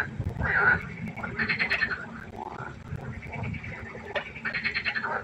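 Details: Frogs croaking at night by a pond, a chorus of short rasping, pulsed calls in overlapping bursts around mid-pitch, some louder nearby callers standing out over a low background murmur.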